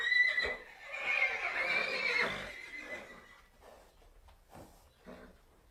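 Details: Domesticated horse giving a high, wavering whinny that holds steady for about two and a half seconds, then fades into softer, breathy snorts and rustling.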